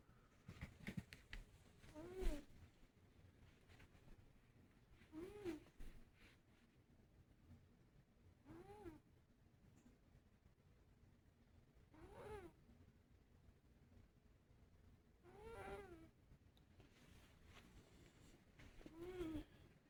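A sleeping Scottish Fold cat snores in slow, regular breaths, each with a faint wheezy whistle.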